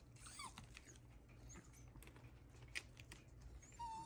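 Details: Shiba Inu named Ranmaru indoors at a window, whining in distress at a garden buried under heavy snow from a cold wave, unable to see the garden stones he usually lands on; faint high whistled whimpers, with a thin rising whine near the end over soft room noise.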